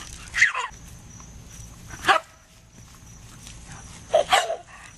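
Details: Dog in a funny compilation in which a dog catches water cannon spray; three short sharp barks or yelps at about half a second, two seconds and four seconds, over a faint steady high hiss.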